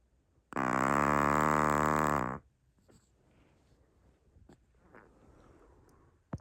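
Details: A sleeping Chihuahua named Naomi lets out a loud, low, rasping snore lasting about two seconds, followed by quiet shuffling and a soft click near the end.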